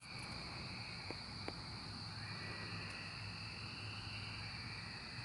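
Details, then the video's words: Cicadas during the 2024 emergence in a dense chorus: a steady high buzz layered with a lower droning band that swells slowly, plus a faint low hum and a couple of brief clicks. "Cicada Emergence 2024"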